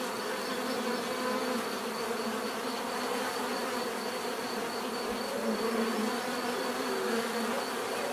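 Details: Bees buzzing continuously in natural surroundings, recorded for relaxation: a dense, steady hum with overlapping wingbeat tones weaving through it, a faint thin high whine held throughout, no pauses.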